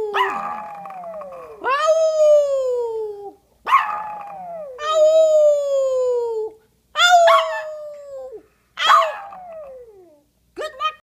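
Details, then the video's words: Howling from a retired male Maltese, once a show dog, answering his owner in song: a series of drawn-out wavering wails, each opening with a rough yelp and gliding downward, separated by short silences, ending in quick yips. "Maltese singing!"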